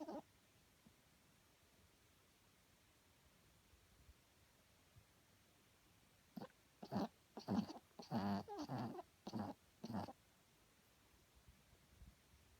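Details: Small sleeping dog named Herbie snoring loud enough to wake someone at night, indoors: a run of about seven rasping, pulsing snorts roughly every half second, some carrying a low whistling tone, then quiet again.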